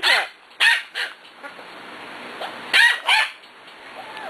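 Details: Six-week-old puppies at play, several short high yips and squeaky barks in quick bursts, each with arching harmonics, separated by quieter gaps with faint background hiss.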